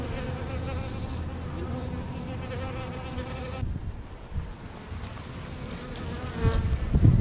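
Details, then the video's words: Honey bees collecting water from a leaky hose and fanning the hive: a steady low droning hum with a humming tone, briefly quieter midway before rising again, with a faint closer thump at the end. "Bees Drinking & Fanning"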